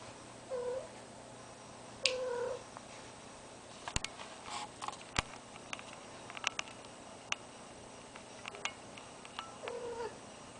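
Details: Cat in heat indoors, sharing the room with a deaf ferret, gives short moaning yowls at the start and end, between scattered sharp clicks, taps and knocks over a constant background hum.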